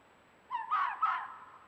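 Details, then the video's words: Fox from a courting pair roaming a forested mountain early in the year, giving the "wow wow wow" mating-season bark: two or three quick, hoarse, rising-and-falling barks run together in under a second, against a quiet background. "FOX MATING BEHAVIOR: The "WOW WOW WOW" BARK of AMOROUS FOXES"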